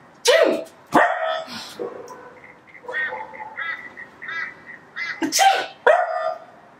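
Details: Maple, a female Pembroke Welsh Corgi, indoors, barking in disapproval while being mildly annoyed: four loud, sharp barks, two near the start and two near the end, with softer grumbling, whiny vocalisations in between; a person speaks briefly.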